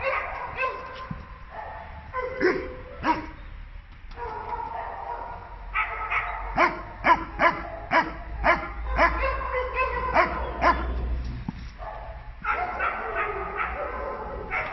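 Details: Young male American Staffordshire Terrier, nine months old, left in a shelter in Turin and pining from loneliness. Rapid sharp barks, roughly two per second and irregular, come in clusters broken by brief quiet gaps over a low rumble.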